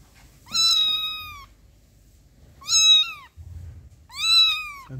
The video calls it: Yavru kedi miyav sesi.